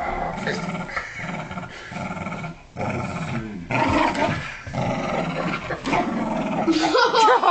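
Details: Kooikerhondje Benji and Tibetan Terrier–Poodle mix Trixi growling during a tug-of-war over a dog toy; pulsing, throaty growls in rapid bursts about four a second, swelling louder midway, with a few higher yips near the end.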